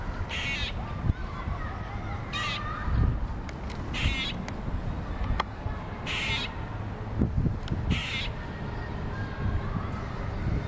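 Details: Squirrel, annoyed at the camera, repeats short, rough, chattering barks roughly every one to two seconds against a continuous low rumble and faint thumps.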